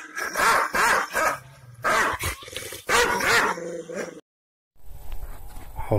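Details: An angry, fierce Kangal shepherd dog from Aksaray Malaklı gives deep, rough barks in quick bursts, some with growling edges.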